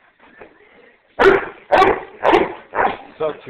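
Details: A pet dog, asked to bark, answers with five sharp, loud barks spaced about half a second apart, the last one softer, after a few seconds of quiet murmuring.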